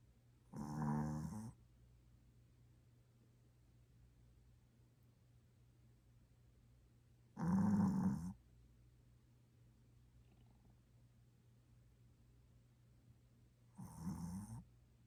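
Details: Choco, a Maltese dog and heavy snorer who only falls asleep resting on someone's arm, snores indoors while sleeping: three raspy, rumbling breaths about six to seven seconds apart, each lasting under a second, with a steady low hum between.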